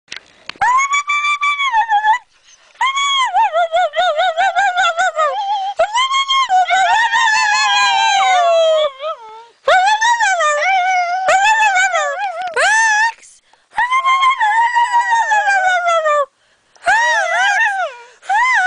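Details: Sweety, a pet pup known as a singing dog, gives long tonal howls that waver and slide, mostly falling at the end, in phrases of two to three seconds separated by short pauses, with rich overtones.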